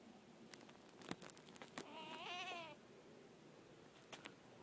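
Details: A baby squirrel hanging on an outdoor wall gives a brief, very loud, quavering squeak, high and wavering like a tiny bleat.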